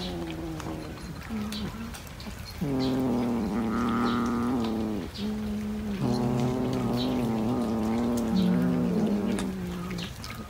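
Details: Cat caterwauling: low, drawn-out wavering yowls with rich overtones, a short cry followed by two long howls of several seconds each, separated by brief pauses. Faint background noise throughout.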